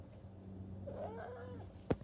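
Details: Pet cat answering its owner in a call-and-response exchange before chasing after them; one short, rising-then-falling meow over a constant low background hum, followed by a sharp click.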